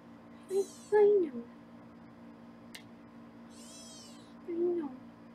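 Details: Foster kittens being weighed in a small indoor room on a Los Angeles live kitten cam. Two quick falling meows, then a pause and a third drawn-out meow. High squeaky chirps and a steady hum are heard.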